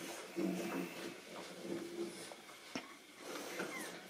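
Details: Nine-week-old Boston Terrier puppies indoors meeting a new toy called the "Mupfel": brief high whimpers and squeaky whines in short bursts, with scuffling and a sharp knock in the room.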